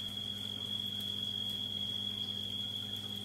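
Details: A cricket living under an aquarium sump indoors sings nightly, a steady, high, unbroken trill over the low hum of a water pump.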